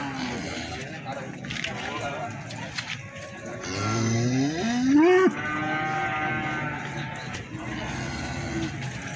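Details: Young feeder cattle at the Plaosan market in Magetan give a rising, drawn-out moo lasting over a second, harmonics climbing toward the end, amid background chatter and market noise.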